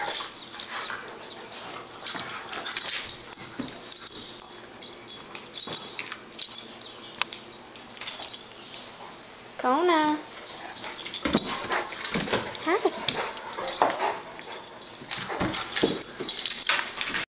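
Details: A Great Dane puppy and a Golden Retriever playing together: mostly scuffling and clattering, with one short wavering whine near the middle and a person talking now and then.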